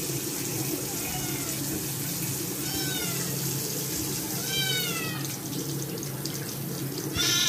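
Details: A dirty Scottish kitten being given a second bath after soiling its paws, protesting with several thin, rising-falling meows that are partly buried under a steady rush of running tap water.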